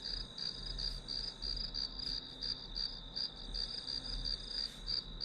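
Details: Grass insect chorus used as study ambience, rapid high chirps in a continuous shrill band, pulsing roughly three times a second over a faint low hum.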